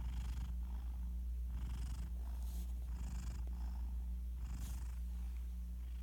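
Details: Pet cat Garfield asleep right beside his owner, phone-recorded: light snoring that is not full-blown, breathy hissing pulses coming about once a second, with a steady low hum underneath.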